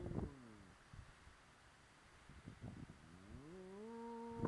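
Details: Arko, a pet dog uncaged at his yard gate, howling out of boredom: a long falling tone fades out, then after scattered thumps a fresh howl rises smoothly and holds steady to the end.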